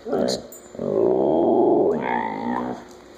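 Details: Pet Siberian Husky named Chula, 'burping and saying hola': a short grunt, then a continuous rough, buzzy grumble of about two seconds, ending in a slightly higher, rising-and-falling drawn-out note, in a small room.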